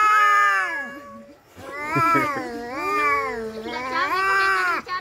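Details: Domestic cats fighting, with long drawn-out wailing yowls that waver and bend in pitch, rich harmonic tones rising and falling, two voices overlapping in a continuous howling exchange.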